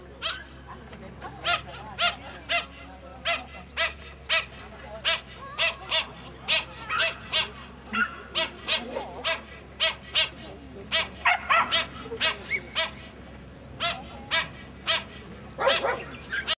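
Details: Toy Poodle during an agility run over 35 cm hurdles, yapping excitedly in short, bright barks repeated at a brisk, uneven pace through the whole run.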